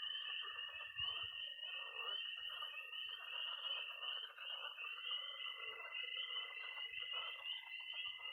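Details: Spring night chorus in Missouri of peeping tree frogs, croaking pond frogs and high-trilling toads: an unbroken high peeping band, a steady trill that brightens halfway, and faint low croaks.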